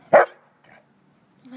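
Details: Mac, a happy dog rolling in the grass outdoors, gives one short, sharp bark, then falls silent with only faint background sound.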